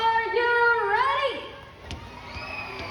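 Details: A sea lion at Manila Ocean Park gives a drawn-out, wavering honk that dips and rises before fading into crowd chatter.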